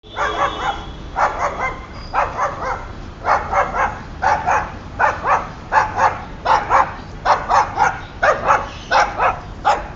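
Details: White Boxer dog out in a park in July, barking in rapid bursts of short sharp barks, roughly one to two per second, steady and insistent throughout.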